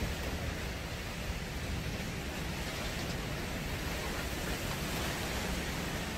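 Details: Steady broadband hiss like rain or rushing wind fills the recording, with no animal sounds.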